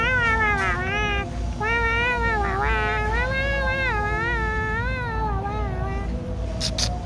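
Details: A cat cries while being held, a long continuous wailing yowl with a wavering, rising-and-falling pitch sustained for about six seconds, over a low rumbling background.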